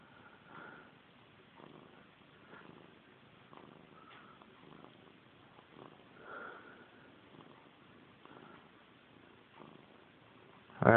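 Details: Missy Grey, a domestic cat who has chased her tail since she was a kitten, purrs at home near bedtime. Gentle rhythmic rumbles swell roughly every second, then a loud thump cuts in at the end.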